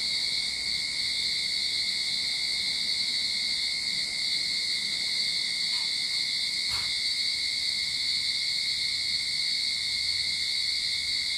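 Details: Cicadas droning in a Sydney backyard at the start of summer, a constant loud high buzz with a fainter steady whine, interrupted only by a short soft click or knock near the end.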